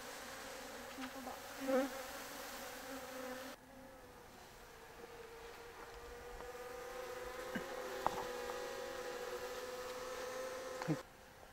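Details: Japanese honey bees at an open-air hive in Kyoto Prefecture, Japan, whose swarm was caught in early April; a continuous mid-pitched drone holds steady, with a brief quieter break partway through and faint clicks.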